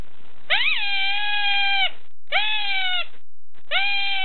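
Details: An unidentified small animal in a zoo near Kampot, Cambodia, screaming persistently. Loud, harmonic wails rise sharply and then hold steady for about a second and a half. Three cries are separated by brief silences.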